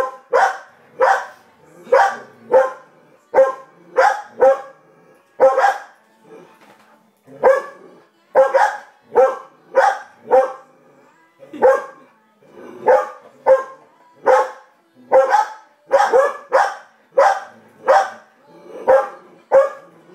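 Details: Gracie barks while watching TV and Coco, who doesn't watch, barks at Gracie. Twenty seconds of near-continuous sharp barking in rapid bursts, broken by a couple of short pauses.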